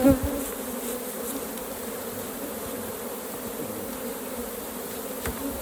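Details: Hive of honey bees opened for harvesting raw honey, giving an even, continuous buzzing drone throughout, with occasional faint taps.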